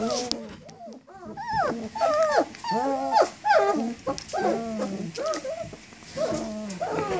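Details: Several 19-day-old German Shepherd puppies, up and moving around, whining for their mother: overlapping high, wavering whimpers that rise and fall in pitch, coming in dense bursts throughout with brief pauses between.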